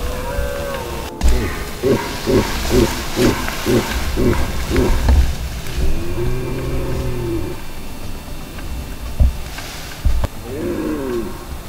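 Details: Red deer stag in rut, Val di Pejo, Stelvio Park, Trentino, Italy; a rapid series of about seven short, coughing grunts, then a long, deep, arching roar and a final shorter bellow, with faint clicks and rustling.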